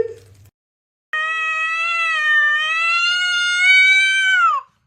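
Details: A domestic cat gives one long, drawn-out meow of about three and a half seconds. It is steady and slightly wavering, then drops sharply at the end. A short burst of faint noise comes just before it, and otherwise the clip is quiet.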